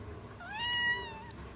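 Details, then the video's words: Single drawn-out meow from a pet cat indoors as food is offered, rising at the start and then holding a steady, slightly falling tone in a quiet room. "Funny Cats and Kittens Meowing"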